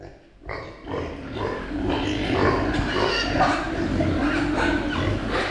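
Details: Meat pigs kept on a farm; a dense chorus of overlapping grunts and hoarse squealing calls starting after a brief quiet moment, several animals calling at once.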